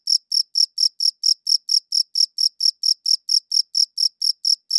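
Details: Crisp, high cricket chirps repeating evenly about four times each second, each pulse ringing with a faint higher overtone; nothing else audible.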